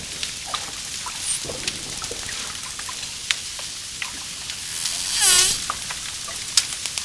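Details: Dolphin clicks crackle steadily through the recording, with a few faint high chirps early on, before a loud, sweeping harmonic whistle past the five-second mark.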